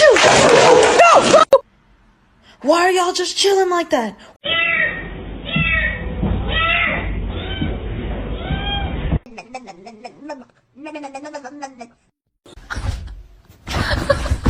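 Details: Domestic cat meowing repeatedly in a short funny compilation, harmonic rising-falling meows in runs alongside loud human speech and abrupt cuts between scenes.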